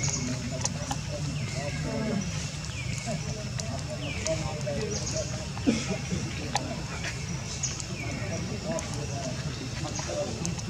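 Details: A baby monkey cries loudly after being hit by another monkey for a long time, giving repeated high, falling whimpering cries of distress over a low rumbling background.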